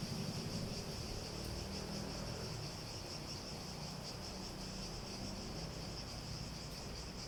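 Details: Quieter high, continuous cicada drone with slight waves in loudness. It is partly masked by broad low rumbling background noise.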